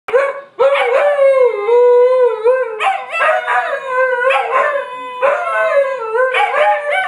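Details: Two huskies howling together, described as singing: long sustained wavering howls, slightly rising then sagging, overlapping with fresh howl onsets about every one and a half seconds; no other sounds.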